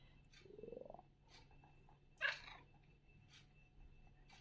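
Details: Maine Coon cat; chirping call; expressing impatience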